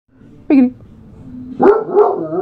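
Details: One of three Basset Hounds howling together gives a short yelp, then a drawn-out, mournful baying howl.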